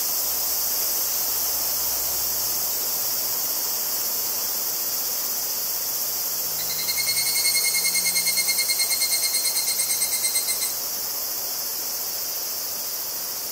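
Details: Tanna japonensis, the higurashi cicada, singing in Kobe, Japan, 14 August 2011, captured on a Zoom H2 recorder: a pulsed rattling trill, roughly three beats per second, lasting about four seconds, above a steady high insect chorus.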